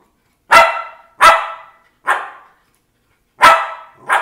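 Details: Lakeland Terrier on its second birthday, indoors, giving sharp loud barks in a short irregular series, four strong barks and a final clipped one, with clean silence between them.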